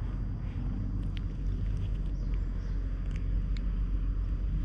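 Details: Low, continuous purring from a stray cat settled on a person's lap at a shrine, captured with a GoPro HERO8. An even, throbbing rumble with a few soft ticks over the top.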